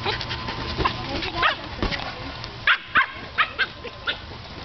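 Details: Teddy, a pet dog, barks at a huge blue ball he is chasing, frustrated that he cannot get it into his mouth; a quick run of sharp, short barks, five or six in under two seconds, over a steady low hum and a voice calling.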